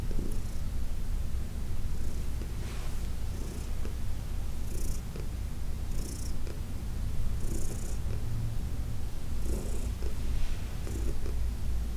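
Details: Heidi, an elderly shelter-adopted house cat from New York City, purring through a massage session; continuous deep rumble with intermittent hissy rubbing or rustling bursts from the massage.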